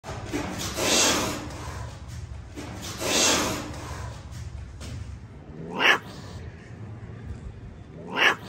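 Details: Aggressive cat during a fight: two long, harsh breathy hisses about two seconds apart, then two short, sharp rising shrieks near the end, with quiet background noise between.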